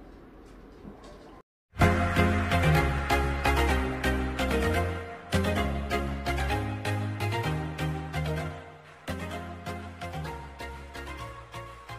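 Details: Upbeat background music with a steady beat and bass fills the whole stretch after a short quiet start, without any animal sounds.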